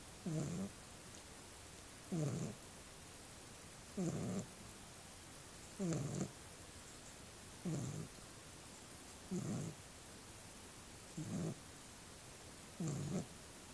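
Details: Small pet dog asleep and snoring, low rumbling snores with a faint whistle on top, repeated roughly every two seconds in a steady rhythm, eight breaths in a row against a quiet background.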